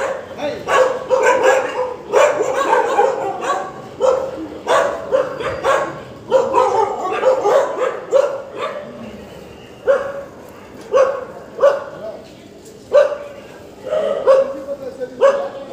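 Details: Dogs barking in a steady series of sharp, harsh barks, often doubled or in short clusters, about one burst per second at first, then spacing out toward the end with brief pauses between barks.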